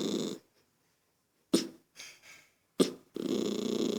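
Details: Irritated toy poodle Lucky, bothered by a child's noise, growls at the start and end, with sharp snorting bursts and softer huffs in the gap between.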